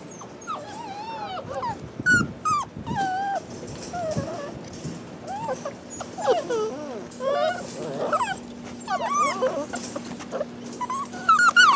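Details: Rescue puppies, possibly a shar pei, hound or lab mix, whimpering continuously. Many high, wavering whines and yelps overlap and rise and fall in pitch, suggesting several pups, over a steady low electrical hum.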